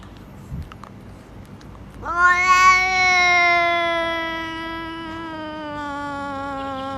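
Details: After a few quiet seconds, a talking cat lets out one long, sustained meow that starts bright and strong, holds for about five seconds, and slowly drops in pitch as it fades.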